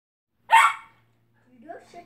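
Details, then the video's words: Kelpie puppy, 12 weeks old, playing in a pen area with a cat: one sharp, high puppy bark, followed by quiet murmuring. "Kelpie puppy barking and playing"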